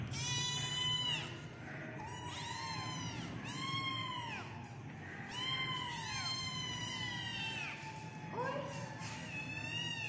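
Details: Several kittens meowing over one another in high, thin, arched cries that rise then fall, each lasting about a second, with a steady low rumble underneath.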